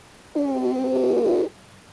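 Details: Pochi, a raccoon dog snoring in its sleep with a strange face, gives one drawn-out, tonal, whistly snore lasting about a second, with stacked harmonic overtones that waver slightly. The room is otherwise quiet.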